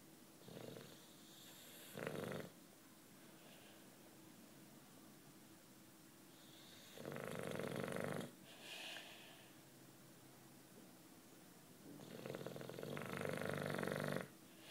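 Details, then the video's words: Nine-year-old British bulldog Juanito asleep, snoring in a steady cycle: rasping, rattling inhalations about every five seconds, the later ones longer and louder, separated by soft whistly breaths and quiet. "Bulldog Snoring"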